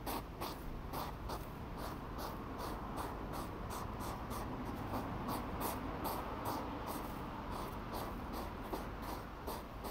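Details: Hedgehogs squabbling over food in the evening in Hyvinkää, Finland, late July 2017, filmed with a stationary camera; quick breathy snorts repeat roughly three times a second over a steady low background hiss.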